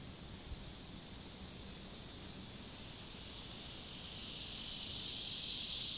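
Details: Summer cicadas by a river, heard more distantly: a thin high buzzing drone under broad rushing background noise, swelling louder toward the end as the chorus comes closer or the microphone is raised.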